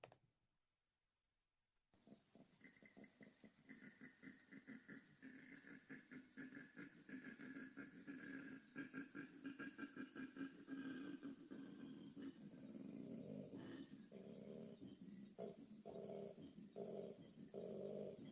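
A male koala gives his breeding-season bellow, a deep, throbbing series of rapid grunting pulses that builds in strength. He calls this way to find and attract a female.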